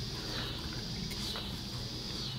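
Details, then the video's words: Loud cicadas outdoors in late summer or early autumn give a steady, high, unbroken buzz, heard from indoors over a low indoor rumble. "yeah I imagine you can hear the cicadas outside I know nothing about bugs"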